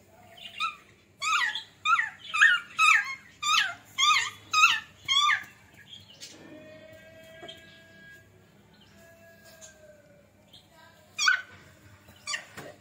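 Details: A Beagle puppy, Jerry, playing with a Labrador puppy: a steady string of shrill yelping squeals about every half second for several seconds, a thin sustained tone, then two more high yelps near the end.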